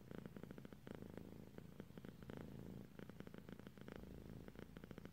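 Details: Female house cat nodding off to sleep, purring in a deep, even rumble broken into short repeated beats, nothing else audible.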